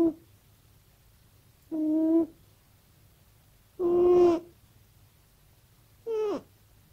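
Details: Sleeping, dreaming cat making repeated soft, tonal, mew-like cries, each about half a second long with rich overtones, roughly two seconds apart; the last one bends downward. Only a quiet background hum between calls.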